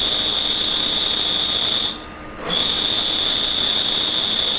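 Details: A cricket chirps loudly at night in a steady, shrill, high-pitched trill. The trill stops for about half a second midway, then resumes unchanged over a faint background hiss.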